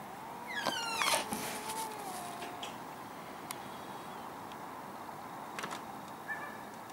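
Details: Two angry cats fighting in a garden: a long, wavering, moaning howl held fairly low through the first two and a half seconds, cut by sharp clicks and brief rasping bursts, then quieter background with scattered knocks.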